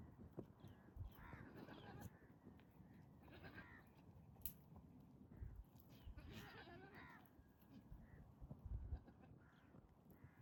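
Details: Male goats in mating season courting pregnant females with strange sounds. Two wavering, harmonic bleats, one near the start and a longer one midway, over a low rumbling background with scattered thumps and rustling.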